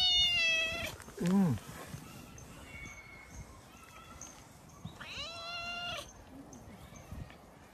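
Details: Feral cats in a park, many already in fluffy winter coats: two clear, high, harmonic-rich meows, the first drawn out and falling at the start, the second bending downward around five seconds in, with a brief low voice and quiet outdoor background between.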